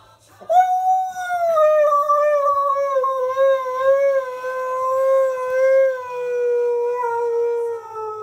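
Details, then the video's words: Key, a male Husky, makes a squeaky entrance indoors: one long, sustained, clear howl-like squeak with rich harmonics, starting high and slowly sliding lower over about seven seconds, with a slight wobble throughout. "Husky Makes Squeaky Entrance, Then Leaves"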